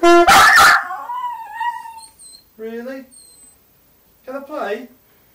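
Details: Westiepoo at home howling in reaction to its owner learning the saxophone; a loud opening burst, then drawn-out wavering howls rising and falling, the last a shorter warbling howl after a pause.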